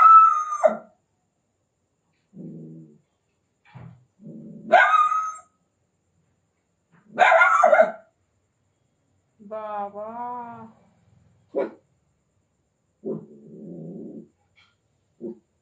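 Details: Indian desi puppy at night, calling in a mix of yelps and barks, then a wavering, rising-and-falling whine near the middle, followed by softer grunting sounds, with a person's voice talking among the calls.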